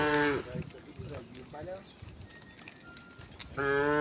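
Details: Village cows being driven to their pen in the afternoon; a short moo opens and another closes the stretch, with soft shuffling, faint voices and a brief high whistle between.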